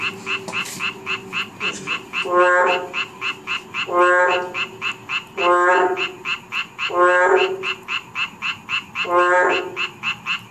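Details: Narrow-mouthed toads croaking. After a quieter opening, five bright, buzzy harmonic calls come at intervals of about one and a half to two seconds. A rapid pulsing chorus continues underneath.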